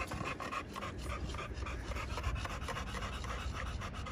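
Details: Quick, rhythmic dog panting from American Bully pocket males at a Romanian kennel, breathy bursts repeating rapidly with a low background hum.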